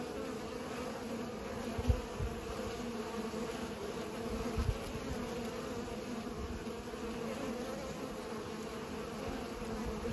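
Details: Humming swarm of bees pollinating, steady droning buzz over faint low knocks, two sharper taps standing out near two and five seconds.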